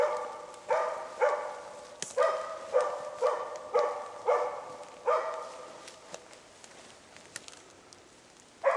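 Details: Hunting dog Zakko bay-barks at a moose cow and calf in Sweden: a fast series of about nine barks, then a lull with faint clicks and rustles before another bark at the end.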